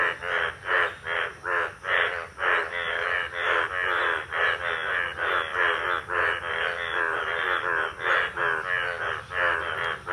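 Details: Yellow breeding male Indian bullfrogs with blue vocal sacs chorusing in a village pond during the monsoon; harsh, buzzy croaks pulse rapidly, nearly three per second, in an unbroken, crowded chorus.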